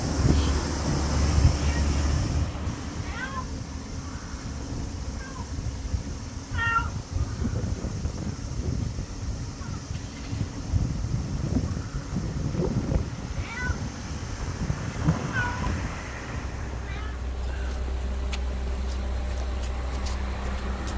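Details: Friendly little stray black cat meowing a lot at a LAWSON convenience store, August 2024; short arched meows repeat irregularly through the middle, set against heavy low engine hum and occasional voices.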